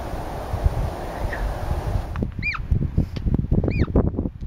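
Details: Hoary marmots on the Wonderland Trail at Mt Rainier in August 2012, calling to each other and warning of danger: two short, high, arched whistles about a second apart, rising then falling, over strong wind rumble and rustling.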